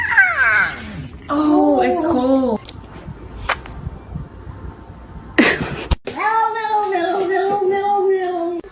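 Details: Domestic cat giving drawn-out, wavering meows: a falling cry, then a longer descending wail, and after a sharp break a steady, sustained yowl of over two seconds, set against indoor room sound.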